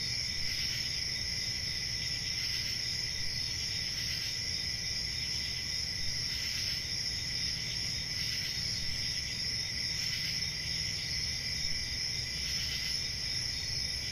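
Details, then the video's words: Crickets trilling on a summer night in a forest: a continuous high, shimmering chorus with brief louder pulses about every two seconds, over a soft low rumble. "Summer Night Cricket Sounds"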